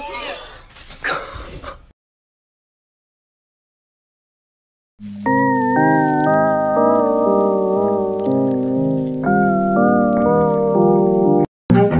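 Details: A short burst of broadband noise, a few seconds of silence, then steady organ-like keyboard music with sustained chords and a repeating melody.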